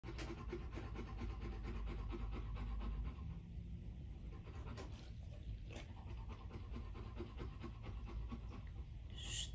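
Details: A Rottweiler pants hard and fast after playing, with quick breathy huffs repeating several times each second.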